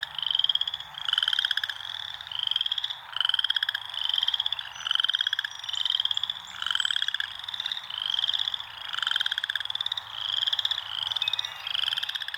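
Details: Frogs in nature give a steady chorus of high, rattling pulsed trills, each burst lasting about a second and repeating without pause, with a fainter lower buzzy layer beneath.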